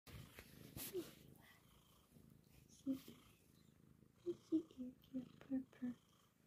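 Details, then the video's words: A Bombay cat snuggling in an office on a little pillow chair mat purrs steadily, a low continuous rumbling throb running through the whole stretch, while a woman speaks softly and affectionately over it in short bursts. "kitty cat office snuggle purr continues"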